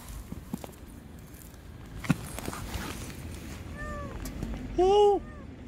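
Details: Lost baby kitten crying under a car as a rescuer coaxes it out; a few faint arched mews, then one loud, clear, drawn-out meow near the end, with low background rumble and scattered clicks.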